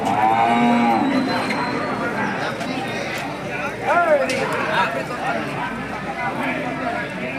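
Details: Hallikar cattle at a busy temple cattle market, 24 November 2025: a long moo opens, then a shorter wavering bellow about four seconds later, with steady background talk from traders.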